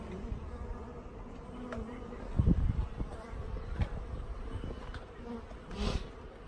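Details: Honey bees from a shipped package, some dead after postal transit, buzzing during installation: a continuous low hum broken by several sharp clicks and a loud bump of handling noise.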